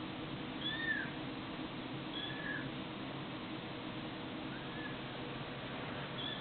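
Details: Short, thin mews from a cat or kitten in a funny-cats compilation, three or four brief arched calls spaced a second or two apart, half-buried in constant hissing background noise.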